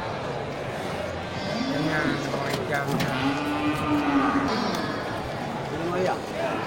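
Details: Cattle at the Geulumpang Payong animal market on 8 May 2021, local bulls raised on natural grass. One long low moo swells, holds steady for a few seconds, then falls away, set against constant human chatter.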